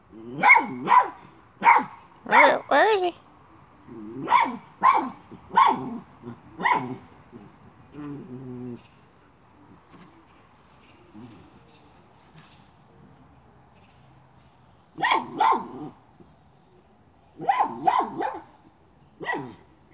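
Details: Miniature schnauzer on a chipmunk hunt around a pipe barks in rapid bursts of several sharp yaps, pauses while a person speaks, then resumes with more clustered barks.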